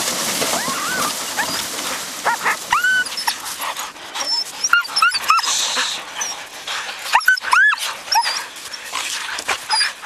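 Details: Siberian Husky yearlings with a six-year-old adult on a spring run in 2011: scattered high, whistled whines and yelps, rising and falling, over outdoor rustling and panting.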